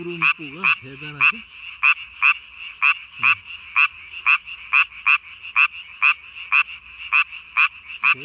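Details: At night on 3 May 2020, a Japanese tree frog calls with its throat sac swollen to body size. It gives crisp, high, rasping notes roughly twice a second in a steady series. A brief human voice is heard at the start.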